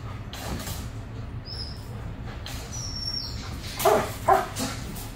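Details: Aggressive German Shepherd during training, a dog described as extremely reactive to other dogs, squirrels, cats, birds and vehicles; two short, sharp barks come close together near the end over a steady low rumble of background noise.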